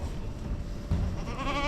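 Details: Goat (Capra hircus) doe on a farm gives a short, quavering bleat over low rumbling, calling during labour shortly before kidding; she had been vocalizing and kidded quickly, producing a little brown kid.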